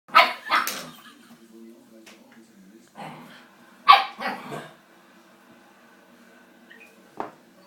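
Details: Coco, a puppy dog, at play: two sharp, noisy barks open the moment, another pair follows near four seconds, then one short yip at the end, with quiet stretches between.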